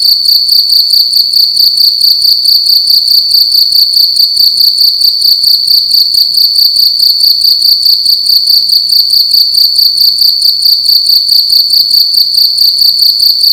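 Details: Cricket making loud sounds in a room during the night, a continuous high-pitched shrill chirping in rapid regular pulses, about two per second, sustained throughout with only faint low background noise.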